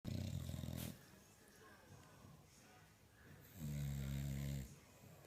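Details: An English Bulldog asleep and snoring. Two loud, rattling, throaty snores about three seconds apart, each lasting roughly a second, with quiet breathing between them in a small room.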